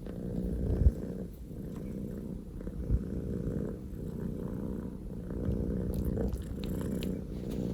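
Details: Pokō J, a male Scottish Fold kitten born 15 October 2019, purring loudly indoors: a deep, rough, rumbling purr that swells and eases in slow waves, with a couple of soft thumps.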